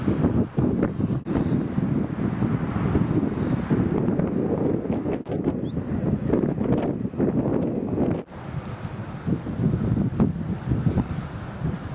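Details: Gusty wind roars across the microphone with rustling leaves and brief drops in level, and no animal sound stands out.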